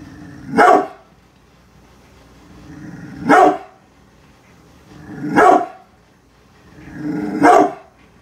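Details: Protective brindle pit bull Bullet, unhappy with construction crews outside the house, alternates soft rumbling growls with four loud barks spread over about eight seconds, roughly two to three seconds apart.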